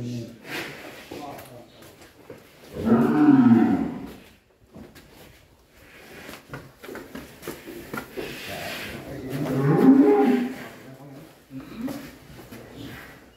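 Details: Cattle in a pen in Indonesia, probably a large fattened bull being prepared for loading onto a truck. Two deep, drawn-out moos with rich harmonics, about seven seconds apart, with background noise and some talk.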